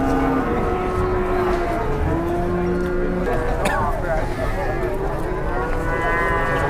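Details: Angry cattle being unloaded from a truck, giving long, low, steady moos with stacked tones. Some hold level and some bend slightly. People talk nearby, and vehicle rumble and crowd noise fill the background.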